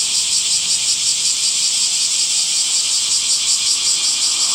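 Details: Cicadas calling in summer: a loud, steady high-pitched rasping drone with a slight rhythmic throb, continuous from start to finish and nothing else audible.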